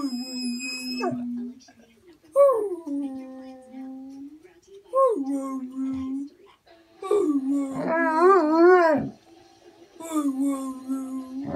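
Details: Pet Basset Hound being taught to say "I love you" indoors; several howls, each opening with a rising yelp and settling into a long steady moaning tone, one phrase wavering up and down, with a person's voice between.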